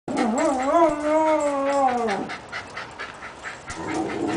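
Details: Australian dingo 'talking': a sustained, wavering harmonic yowl lasting about two seconds, rising and dipping in pitch with small undulations, then fading into quieter breathy sounds and faint background noise.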